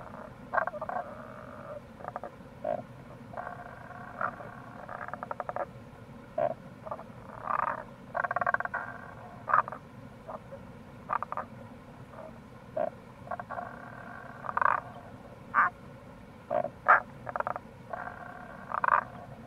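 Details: Several Tago's brown frogs (Rana tagoi) chorusing in April near a gorge on the Kamo River, Itoshima, Fukuoka, Japan; dense low pulsed croaks and grunts in quick irregular bursts, with constant rushing-water noise beneath.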